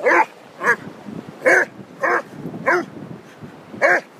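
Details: Whippet and Basset Hound, Orla and Peter, romping on Holkham Beach; six punchy, evenly loud barks in rapid sequence, roughly one every half second to second, with soft rumbling noise underneath.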